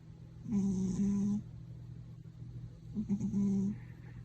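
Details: Pet cat at home snoring louder than anyone in the household: two long droning snores with a low steady hum and faint higher hiss, separated by a quiet breath-in pause.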